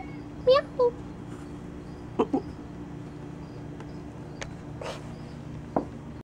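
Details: Pet cat Kona chatting from inside a box: two quick upward-sliding chirps in close succession, followed by scattered soft taps and clicks over a constant low room hum.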